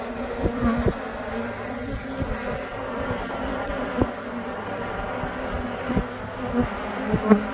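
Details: A honey bee colony in a suburban tree, first thought to be a wasp nest, makes a steady, dense hum of many bees, with occasional louder buzzes as individuals pass close.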